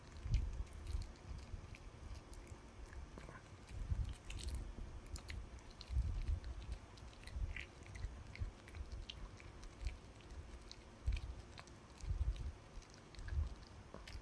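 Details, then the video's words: Puppy gnawing on a dog chew indoors: quiet, irregular crunching and sharp clicking bites scattered through the clip, with low rumbling thumps in between and no other clear sounds. "강아지가 개껌 먹는 방법"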